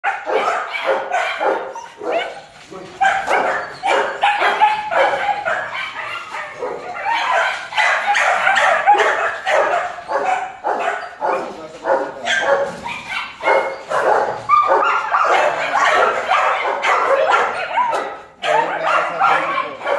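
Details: German Shepherd puppies at a kennel give a dense, overlapping burst of high yapping barks, several voices at once and nearly continuous, with brief pauses. What may be human voices mix in among the calls.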